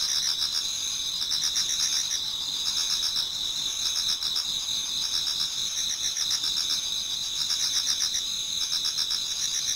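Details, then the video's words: Autumn insects in a Japanese garden singing toward dawn, many at once: a persistent high trill band with rapid pulsed chirps near four per second riding over it, steady and without other noises. "Autumn Insects voice Towards dawn"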